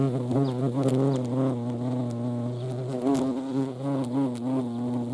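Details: Hornets buzzing around a feeding place where ants also gather, Eifel region at Dohr, late July 2022; an unbroken deep droning hum whose pitch rises and dips slightly as they move.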